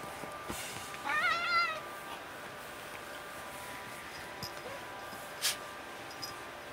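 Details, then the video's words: Tuxedo cat meowing during play: one short, slightly wavering meow early on, then quiet room tone broken by soft taps and one sharp click. "Tuxedo cat Becca meowing away during play"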